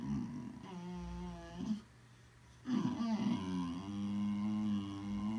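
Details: Boxer dog making funny sounds indoors, a low droning grumble that wavers slightly, stops for about a second of near silence, then resumes as a steadier sustained moan.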